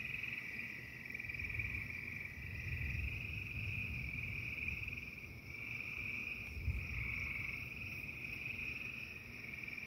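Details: Frogs singing during a thunderstorm: a dense, steady, high trilling chorus that holds unbroken, with faint rapid pulsing, over a constant low rumbling background of storm noise.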